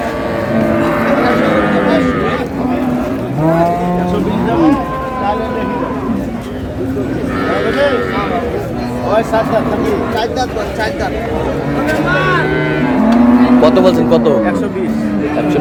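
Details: Improved-breed dairy cows and calves at the Ambari cattle market in Dinajpur, Bangladesh: low, drawn-out moos rise and fall several times amid a busy crowd of bargaining voices, with some vehicle noise in the background.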